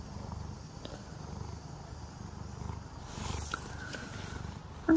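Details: Tricolour cat getting brushed at home, low purr rumbling for about three seconds, then fading under light handling rustles and a short sharp tap at the end.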